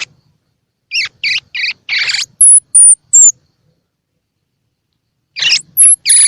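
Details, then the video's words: Calls of a baby squirrel, played to encourage feeding in young squirrels whose eyes are open or not yet open: four raspy chirps, then three piercing, thin whistles, a pause, and more chirps and whistles. "Tiếng Kêu Của Sóc Baby Kích Thích Sóc Ăn | Sound of Baby Squirrel"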